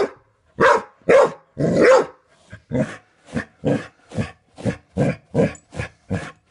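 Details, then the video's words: Indoor dog barking at a doorstop being flicked repeatedly; a few longer, harsher barks open, then a steady run of short sharp barks roughly every half second. "dog barks at doorstop"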